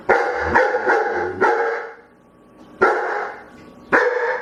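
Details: A dog begging with a rapid run of four barks in the first second and a half, then a pause and two more single barks, each resonant and slightly drawn out.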